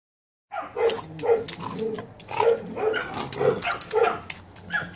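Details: Perro de Presa Canario pups aged 72 days, short whiny yips repeated roughly twice a second, each a brief tonal squeak, over a faint hiss.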